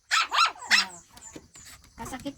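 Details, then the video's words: Shih Tzu dogs indoors on a morning around seven, playing and eating: a quick run of high, sharp barks at the start, then fainter scuffling while a woman talks to them in Tagalog. "Shihtzu cute doggies at day time: playing, eating, barking etc."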